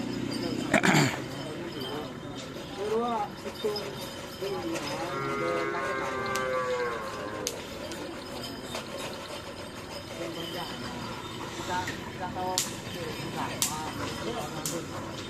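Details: Cattle at a karapan sapi bull-race training session, held as a social gathering at the Asemanis field in Pamekasan. A drawn-out moo rises above steady crowd chatter. A brief lower call comes earlier, and voices continue throughout.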